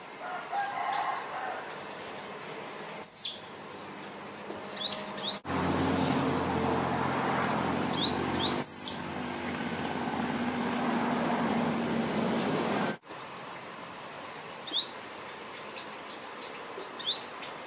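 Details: An albino squirrel up a Jamaica cherry tree gives sharp, high chirps that drop in pitch, spaced irregularly, calling for a mate.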